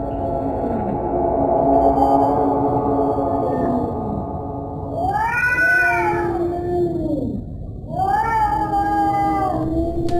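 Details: Domestic cat giving long, low, wavering yowls for several seconds, then two louder rising-and-falling wails near the middle and end, rich in harmonics, with a steady background hum.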